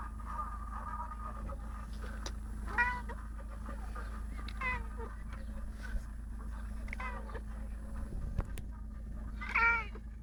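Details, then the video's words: A female house cat meowing nonstop, a few separate arched meows spaced about two seconds apart, the last one loudest, over a steady low hum and faint voices. "My cat being a noisy beast..."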